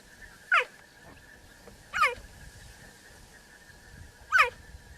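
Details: Cheetah making three sharp, high chirps that slide downward, spaced about one and a half to two seconds apart, over a faint steady hum and low background rustle.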